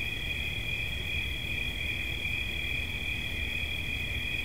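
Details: Short stretch of cricket chirping for relaxation, a shrill sustained trill in two bright close tones, unchanging in loudness, over a low murmur of background noise.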